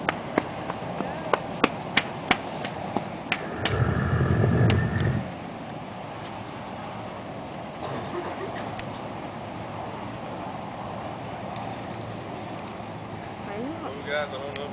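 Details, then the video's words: American alligator named Big Al bellowing after people coax him: a single deep, loud low rumble about a second and a half long, preceded by sharp clicks, with human voices urging him on around it. "Alligator Making Sound Like Jurassic Park T-Rex Dinosaur"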